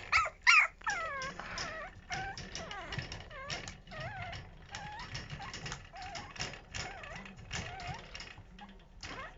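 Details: Newly born puppies during the start of toilet training, thin high whines and short yelps that rise and fall in pitch, overlapping and irregular, fairly quiet, with a faint mechanical rattle underneath.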